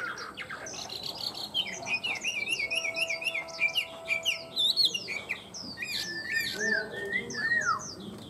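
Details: Tame Chinese hwamei kept in a cage, in full song: trilled and warbled phrases, a run of quick repeated whistles, then clear falling slurred notes and bright twisting whistles near the end.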